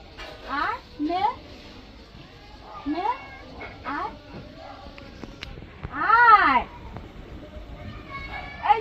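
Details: Domestic cat during a bath meows repeatedly in short rising cries, then one long arched wail, while a woman speaks Bengali over it and faint chirps sound behind.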